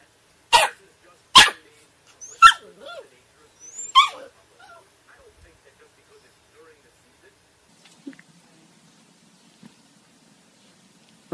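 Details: Puppies giving four sharp, high yips in quick succession over the first few seconds, followed by near silence with a few faint soft sounds later on.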